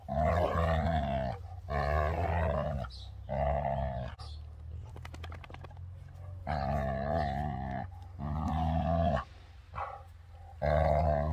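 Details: Play growling during physical contact between Beertje, a Labrador over 12 years old, and Dakota, a 2-year-old German Shorthaired Pointer. Long, throaty, harmonic growl-moans last one to two seconds each and are separated by short pauses.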